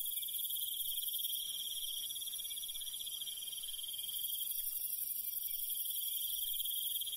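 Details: Rural night crickets sing a constant high-pitched rapid trill, steady in volume. Above it sits a second, very high sizzling band, giving a layered insect chorus with nothing else audible.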